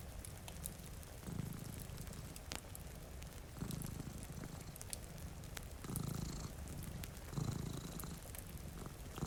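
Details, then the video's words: Two domestic cats sleeping in front of a rainy window purr with a low, rumbling drone that swells in four breath-paced pulses, set against steady rain and sharp fireplace crackles. "Purring Cat"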